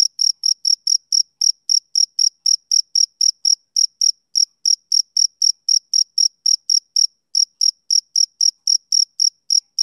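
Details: Summer-evening chirping of a male cricket, with crisp, high, piercing pulses repeated roughly three to four times a second. One brief gap breaks the rhythm near the seventh second before it resumes. The background is otherwise silent.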